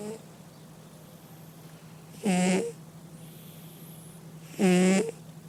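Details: Two loud, grating snores from a domestic cat, a little over two seconds apart, each a harsh, buzzing breath with a whistly edge, with a continuous low hum behind.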